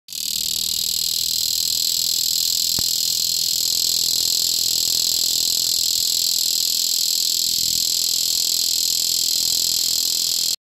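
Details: A giant grassland cicada (Megatibicen dorsatus) calls from the stem of a prairie plant in Illinois with a loud, steady, high buzzing drone likened to an old tractor's rattle; Giant grassland cicada.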